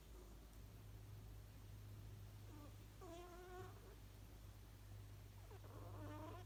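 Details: Sleeping house cat named Ku snores contentedly: soft whistling, slightly wavering nasal squeaks come in three short bursts with a few seconds between them, set against a quiet room and a constant low electrical hum.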